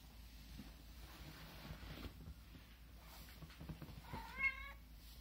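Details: Domestic cat facing a ladybug indoors gives one short harmonic meow near the end, rising then falling, after several seconds of low hum and soft rustling.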